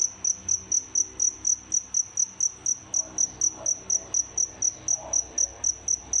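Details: A cricket, one of a captive pair kept as feeders, chirps steadily, giving high, pure, evenly spaced pulses in a fast unbroken rhythm.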